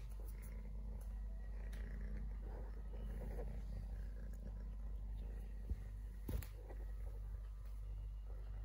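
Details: Three-legged stray kitten named Totoshka, his leg bitten off by his mother at birth, purrs in a continuous deep vibrating hum, broken by a few sharp clicks and a brief knock near the end.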